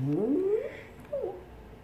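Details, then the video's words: A deaf dog yawning: a drawn-out, rising whine-like tone in the first half second, then a shorter squeaky upward note after a brief pause, in a quiet room. "Deaf Dog Yawn"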